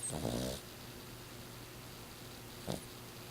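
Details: Six-year-old female Exotic Shorthair snoring loudly while asleep: a short, rattling, pulsed snore opens the recording, then quiet room hum and one faint click.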